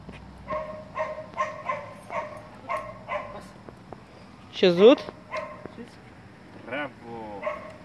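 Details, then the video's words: Gordon setter during obedience training, heel work with a trainer; a series of short low yelps or barks in the first three seconds, then one loud rising-falling bark and a later harsher bark, with the trainer's speech between. "Disciplina 🐶 Gordon Setter"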